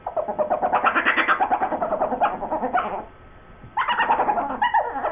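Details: Two dogs, Sue Ellen and Siv, 'talking' indoors about a bone: a rapid run of pulsed, harmonic grumbling yowls, then a brief pause before another burst of wavering vocal chatter.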